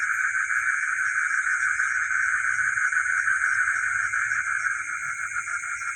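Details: A dense night chorus of frogs, possibly with geckos, in a village: a steady pulsing trill with a high insect hiss above.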